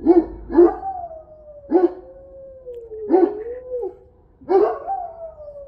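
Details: Central Asian Shepherd dogs enjoying snow in Illinois alternate short gruff barks with drawn-out, slowly falling howls that waver near the end, several barks and howls overlapping across a few seconds.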